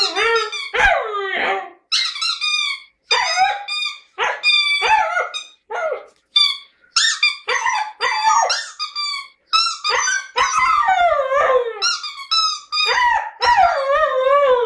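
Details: Indoor Siberian Husky in a lyrical mood singing a long varied sequence of squeaky yelps, whines and wavering howls in bursts with brief pauses, pitch swooping up and down throughout.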